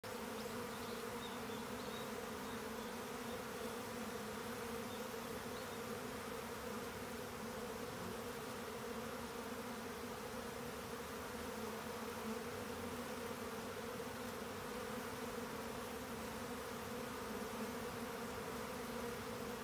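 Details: Swarming honeybees during colony division: a dense, steady buzzing drone held throughout, with strong humming bands low in pitch and a broad hiss above, no pauses, a continuous mass of wingbeats.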